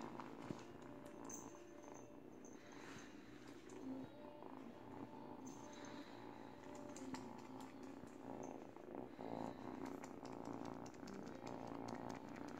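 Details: Steady low purring from an 8-week-old kitten teething on a baby blanket indoors, an even rumble sustained for the whole stretch with light rustles and small clicks of chewing.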